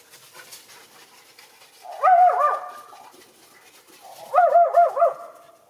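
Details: Young Schipperke in a snowy backyard with deer nearby, one of two dogs: two bursts of high, wavering, yelping barks, the first around two seconds in and the second near four and a half seconds, with quiet between.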